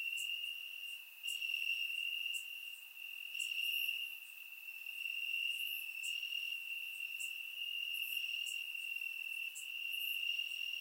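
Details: Crickets chirp in the grass on a warm summer night in Bulgaria, a steady, high-pitched trilling chorus with faint ticking overtones above.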